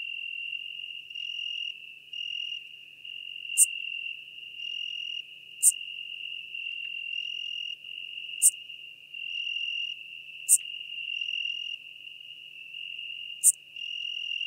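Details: Schmidt's marbled bush-cricket song from Venezia, Italy, 2 September 2021: isolated clipped high-pitched chirps every two to three seconds, five in all, while a constant high buzzing hum continues beneath with brief faint tones.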